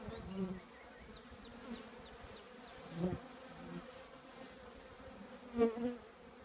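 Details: Honey bee colony living in an old trash can, a steady buzzing hum with bands near two hundred and five hundred, swelling louder as individual bees pass close around one, three and five and a half seconds.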